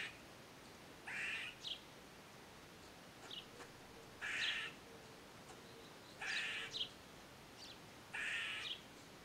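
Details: Recorded on a Nikon D3500 with a Tamron 500mm lens, an eastern gray squirrel repeats short raspy, buzzy calls about every two seconds, each often followed by a brief sharp chip, against light background noise.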